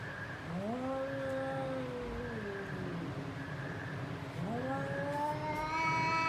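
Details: Cat in a fight producing two long moaning yowls, each swooping upward then levelling and drifting down, with faint recurring hiss-like bursts and steady low rumble behind.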